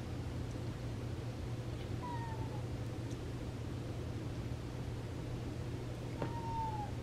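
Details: Cats at play in a family's home compilation of feral-rescued pets, with two short, faint meows that slide downward, one near two seconds and one near six, over a steady low electrical hum.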